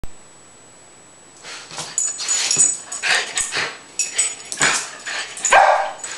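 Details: Rat terrier performing for a jump cam, giving a run of sharp, bright barks and yips after about a second and a half of quiet, bursts coming roughly twice a second with some louder peaks near the end.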